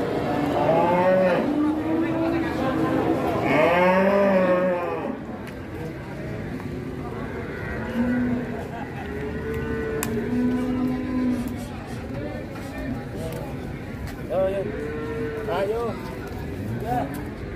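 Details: Cattle in a pen giving long, bellowing moos with arched, rising-then-falling harmonics, a loud pair near the start followed by quieter lowing calls, with faint voices and music underneath.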